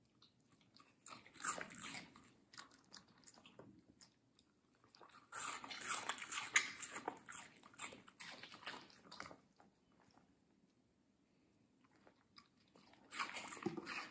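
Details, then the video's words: A medium-sized female Samoyed eating juicy, crunchy watermelon indoors, recorded close up: wet crunching bites and chewing in dense bursts, about two a second, with quiet gaps between bouts. "ASMR Dog Watermelon Review"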